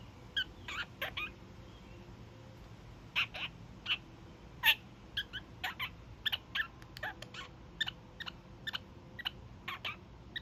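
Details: Young male kakariki, pet bird, during daily evening honks: rapid scattered bursts of quieter nasal honks and chatter across the whole stretch, softer than a full honking run.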